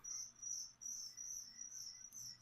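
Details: Feeder crickets, offered as food for a pet leopard gecko, chirp in a steady high-pitched trill broken into long pulsing bursts with short gaps. A faint low hum sits underneath.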